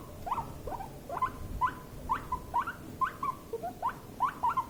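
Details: Stressed guinea pig during a tense, escalating encounter with another, giving a quick run of short, upward-sweeping squeaks about twice per second, evenly spaced and fairly loud.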